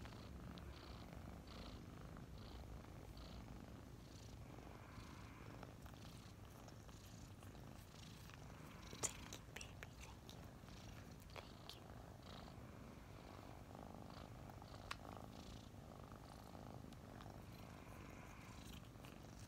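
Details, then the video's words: Mint and Mocha, a pair of roughly five-month-old adopted kittens cuddling together in the morning, give a continuous deep purr, with light brushing sounds and one sharp tap near the middle. "Snuggling two purring kittens"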